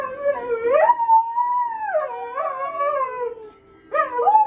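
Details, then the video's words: Siberian Husky howling along to a television crime-drama intro theme, as it does every time an episode begins; a sustained, wavering tonal howl that rises and falls, then a second howl starts after a brief pause. "Husky sings Law & Order Intro."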